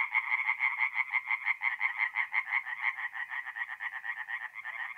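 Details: Tree frogs calling by night at a forest pond in north-east Italy in mid-April: a loud, regular series of nasal pulses, about three each second, pulsing steadily over a fainter background chorus.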